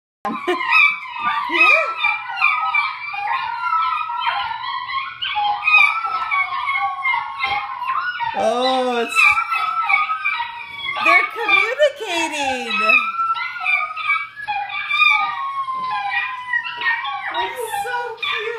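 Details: Male Italian Greyhound howling in a long, busy stretch of wavering, overlapping tones, high yips and sliding cries, with people talking and background music mixed in.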